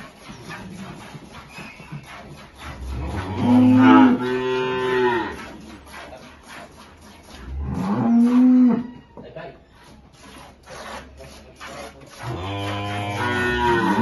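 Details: Holstein dairy cows with their calves at milking time on a farm in rural El Salvador; three long, deep harmonic moos at roughly four-second spacing, the last still sounding as the recording ends, over low barn background noise.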